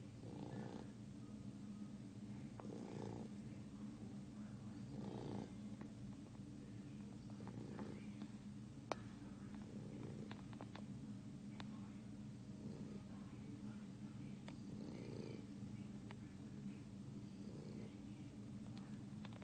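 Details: A 3-month-old English Bulldog (Canis familiaris) snores in slow, rasping breaths that repeat about every two and a half seconds.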